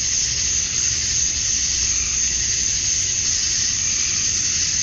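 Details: Summer dusk cicada chorus from Georgia, USA, males calling for females: an intense, unchanging high buzz with a ringing upper edge and quick, faint flutters in its texture.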